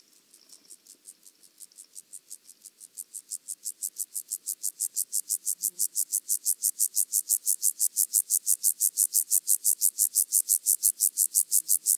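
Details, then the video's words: Penumbra grasshopper (Chorthippus vagans) singing at Mörnsheim, Germany, on 14 July 2023: a dry, rapid series of high scratchy pulses, about three per second, swelling from faint to loud and steady over twelve seconds. "Chorthippus vagans -- Steppengrashüpfer -- Penumbra Grasshopper"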